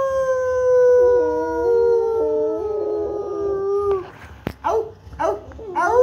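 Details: Rottweiler howling: a long steady drawn-out howl with stepped pitch shifts lasting about four seconds, followed by shorter rising and falling yelping howls and a sharp click.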